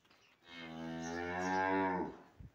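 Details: A cow, described as one that has been sold, gives a single loud, drawn-out moo lasting about one and a half seconds. It is low and steady with a rich, full tone, swells slightly, then fades, against quiet surroundings.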